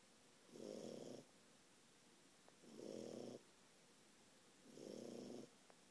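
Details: Four-month-old French Bulldog Ralphie asleep and snoring up a storm: three long, grating snores of under a second each, spaced about two seconds apart, with faint soft clicks in the quiet between.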